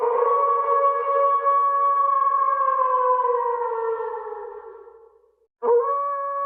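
A wolf gives a long, steady howl that slowly slides lower in pitch, then starts another.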